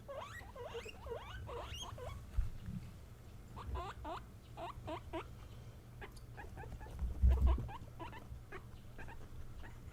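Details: Pet guinea pigs, three females of Peruvian, English and Teddy breeds, vocalizing to express feelings. Faint clusters of short hooked squeaks rise and dip repeatedly over a low background rumble, with a couple of soft thuds.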